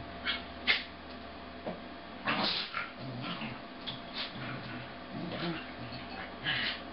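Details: Two corgis wrestling in play, slowed to half speed; the red and white male makes all the noise while the sable female bites and stays on top. Scattered low, drawn-out growling grumbles and short yelping bursts at irregular intervals, indoors.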